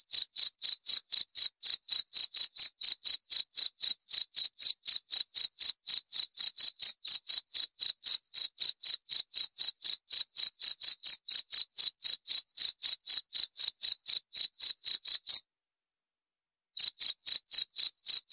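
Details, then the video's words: A cricket chirps continuously in sharp, piercing pulses, roughly four per second, with a brief silence after fifteen seconds, then the rhythm picks up again; clean background without wind or voices. "Suara Jangkrik - 28 Minutes Cricket Sound Effect"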